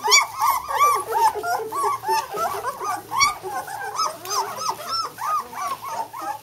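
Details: Litter of White German Shepherd puppies aged two weeks, taking their first steps. Rapid overlapping whines and yelps rise and fall in short arcs, roughly three per second, with a brief human word near the start.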